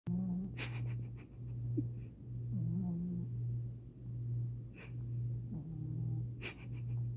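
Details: Long-haired Chihuahua named Tinkerbell sleeping on October 2, 2020, snoring with a low, steady buzzing drone in breaths of about a second each, with faint soft clicks and rustles in between.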